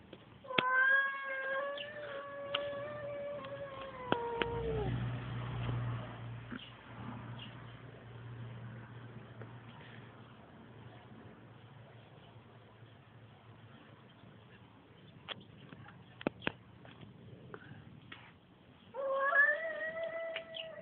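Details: Male cat producing strange noises indoors: a drawn-out wailing yowl that sags in pitch at the end, followed by a long stretch of low humming and faint rustle, then a second rising yowl starting at the close.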